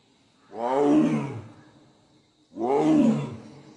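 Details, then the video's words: Sundarbans tiger roaring: two long, rough, deep roars about two seconds apart, each swelling and then fading, with harmonics that bend downward. "Roar /sundorbon tiger"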